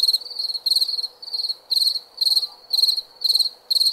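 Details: Night-time cricket chirps, short bursts of rapid high pulses repeating roughly twice a second, bright and shrill, with a soft constant background hiss.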